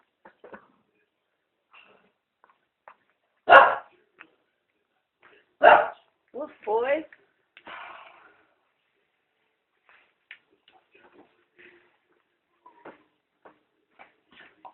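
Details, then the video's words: Pet dog pulling on a woman's pants and making weird noises: two loud, harsh bark-like bursts, then a rapid pair of throaty, rasping yelps, with quiet clicks and faint rustling between. "Dog pulls on pants and makes weird noises"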